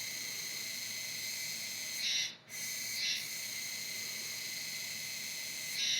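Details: Kuroiwa tsukutsuku cicada, an autumn cicada singing until around November, giving a continuous harsh 'juwa juwa' buzz with bright stacked overtones, swelling louder around two seconds in, briefly breaking, then swelling again at the end.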